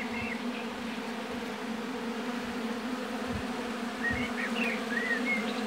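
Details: Many honey bees buzz at an apiary hive in a thick, constant low hum, joined by a few quick, thin bird twitters at the start and again near the end.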